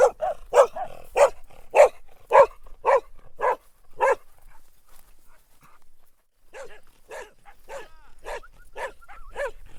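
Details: Dog barking in a quick regular series of sharp barks, about nine in the first four seconds, then a short pause before another run of evenly spaced barks, with faint quieter sounds in the gap.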